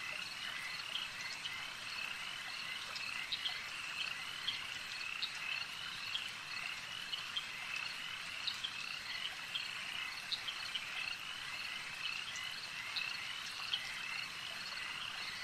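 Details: Frogs calling at a lake: a dense, steady chorus of high, rapid trilling and chirping notes, with brief sharper clicks popping out every second or so over a constant shimmering background.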